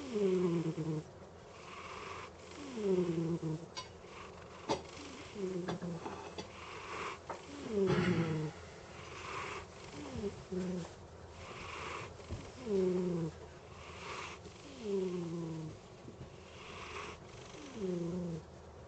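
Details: Kit tay tay, a pet cat, snoring while asleep: soft, rasping snores that fall in pitch, one on each breath, roughly every two and a half seconds, with a few faint clicks and rustles between them.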